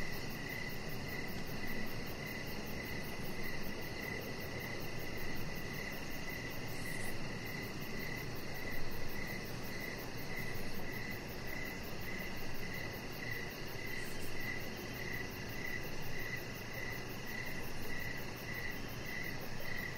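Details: Crickets calling through an evening outdoors by a deck with decoration lights. Continuous run of rhythmic high chirps keeps a steady pace throughout, over a low constant hum, with a couple of faint clicks.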